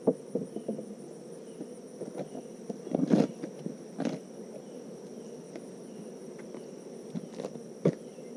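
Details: Healthy honeybees that have bounced back, heard during a hive inspection on a Tennessee farm: a dense low hum throughout, punctuated by repeated clattering clicks and taps from handling the hive.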